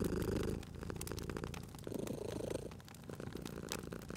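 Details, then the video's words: Cozy sleeping cat purring by a crackling fireplace; loud low purr at the start, dipping then returning in a second swell, accompanied by scattered snaps and crackles from the fire. "Cute Purring Cat at a Crackling Fireplace"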